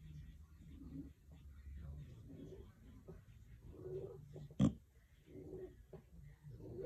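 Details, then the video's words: English Bulldog snoring: soft, rhythmic low rasping breaths repeating roughly every second, with one sharper snort partway through, in a quiet indoor setting. "Opie Snoring"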